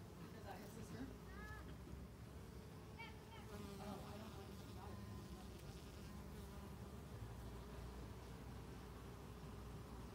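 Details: Pollinating bees on mint blossoms make an even, persistent drone, with brief sweeping hums from bees darting past early on, then a smoother steady buzz for the rest.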